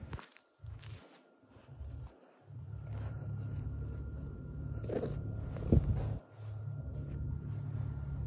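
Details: Black cat giving a low, pulsing purr in short bursts broken by brief pauses, with a small trilled chirp near the end and faint rustling.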